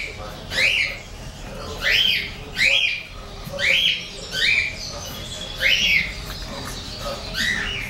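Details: A 33-day-old English bulldog pair, white male and golden-and-white female, produce loud high-pitched yelping whines, each an arched upward-then-downward squeal, spaced about one per second across eight seconds.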